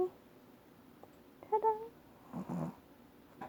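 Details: A long-haired Chihuahua with sudden hiccups while resting makes short, abrupt, squeaky catches followed by a soft breathy huff; the hiccups stopped after she was stroked.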